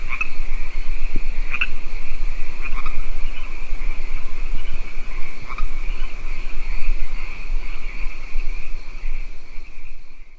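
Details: Frogs call in a dense chorus at a lake, with a steady high insect drone and occasional sharp croaks.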